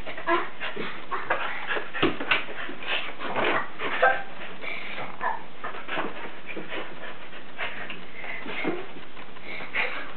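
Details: Pet Keeshond performing tricks for a girl: short high whines and yips scattered through the clip, mixed with people talking and general room noise.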